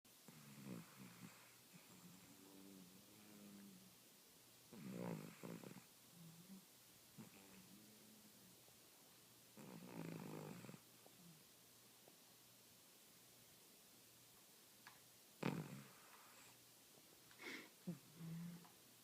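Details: A Cavalier King Charles Spaniel sleeping on a couch snores in slow, rasping breaths, each lasting about a second.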